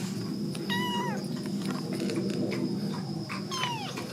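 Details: One-month-old kitten with its mother at a rural house in Korea, wandering in during filming; two clear falling meows with rich harmonics, the first near the start and the second near the end, over a steady low background hum.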